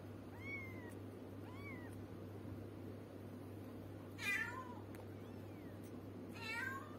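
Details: Domestic cat or kitten mewing indoors, several thin high meows that rise then fall, spaced irregularly, two louder harsher cries later, over a constant low electrical hum.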